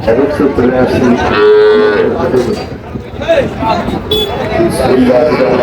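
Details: Amid market chatter in Barishal, Bangladesh, where Sahiwal bulls and young animals are traded on 21 July 2025, a single clear, even moo sounds briefly, followed by overlapping human voices and scattered background clatter.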